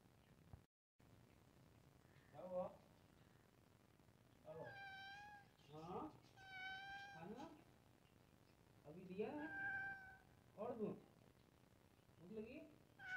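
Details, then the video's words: Two cats meowing indoors: a series of clear, harmonic, rising-then-falling meows, some drawn out and some short, repeated every one to two seconds with quiet gaps between. "Cat Meowing Sound"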